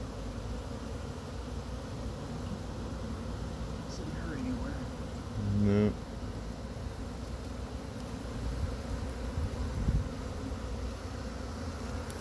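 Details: Continuous low buzzing of a honey bee swarm as a beekeeper brushes it off pine branches into a box with frames in Chattanooga; a short louder rustle near six seconds, and a voice.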